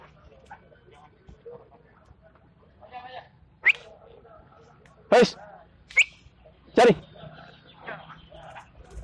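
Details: Belgian Malinois named Rambho during search and rescue training with breath scent samples, recorded 19 April 2020; several short, sharp barks at about four, five, six and seven seconds, with faint speech and background noise between them.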